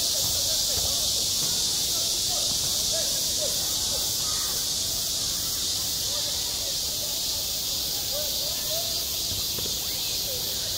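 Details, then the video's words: Midsummer cicada chorus over a school playground, recorded on site: an unbroken, intense high-pitched buzzing wash, while faint short lower chirps and sounds flicker underneath at irregular moments. "한 여름 운동장에서 매미가 울고 있다 - 여름의 소리, 학교 종소리, 매미 울음소리"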